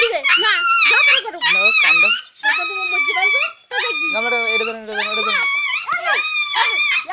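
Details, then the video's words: Puppies in a fight giving drawn-out, high wailing cries, each held about a second then breaking off and starting again, strongly tonal and piercing, with human voices mixed in. "Puppies Fighting !"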